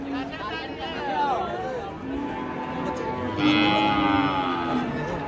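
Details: A raging cow, frightening and watched by gathered locals, lets out a wavering moo followed by a louder, sustained bellow. Voices and crowd noise sound throughout.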